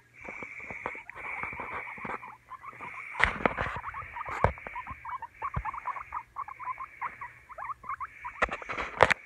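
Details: Guinea pig chattering in rapid squeaky chirps over a continuous high whine, broken by loud sharp clicks and knocks from handling or movement, especially near the middle and end.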